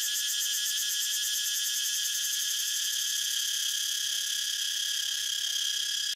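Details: Cicada singing in one unbroken high-pitched whine, pulsing quickly near the start and then smoothing into a flat, even drone.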